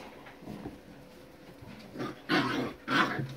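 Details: Basset Fauve de Bretagne puppies from Viersenhoeve give two loud, brief yelping barks close together near the end, after soft rustling and faint grumbles.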